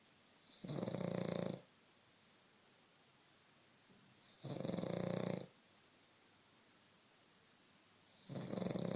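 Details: Asleep pug snoring: three rough, rasping snores, each about a second long and roughly every three and a half seconds, in a quiet room.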